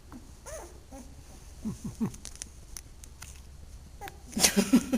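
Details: Two-week-old puppies yawning as they are picked up and handled: short, soft squeaky vocal sweeps that rise and fall, two around the middle of the clip, followed by a burst of rustling handling noise near the end.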